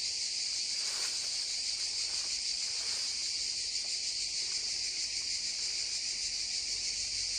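Cicadas give a steady, high, hissing drone over the rush of a babbling stream.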